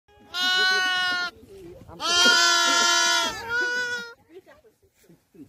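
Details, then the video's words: Lambs gathered apart by nomads on Mongolia's spring steppe, shivering in the cold and calling for their mothers: two long, loud, harmonic bleats, the second wavering, followed by a shorter one and faint background noise. "엄마 나 여기있어요~~ ^^ 아기 양들 합창 시키기"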